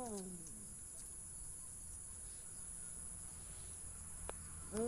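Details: A cat gives a short, falling, tonal meow at the start. A long quiet stretch follows with a faint steady high whine, a brief click near the end, and the rising start of another meow cut off at the close.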